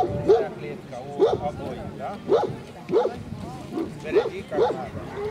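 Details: Central Asian Shepherd Dog at a club breed show in Kyiv (Krasylivka), 28 September 2019: deep, loud barks repeated roughly once a second, six in quick succession, each bark short and harmonic, with people talking nearby.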